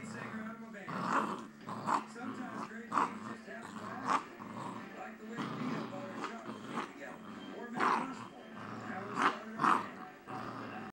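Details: A seven-week-old puppy at play, recorded on a phone, gives a run of short growls and yelps, loudest around one, two, three, four, eight and nine to ten seconds in, over a steady low hum and a voice in the background.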